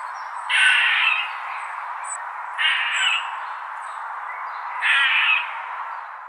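A squirrel gives three harsh, raspy squawks about two seconds apart, with faint high chirps between them over a steady background hiss.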